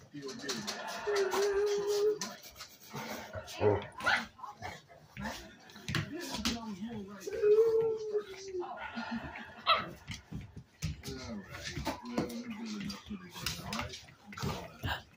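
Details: Indoors, Blacky the dog, mad and wanting the bone, gives thin, strained whines and whimpers, two longer high whines standing out, while people talk and coax him throughout.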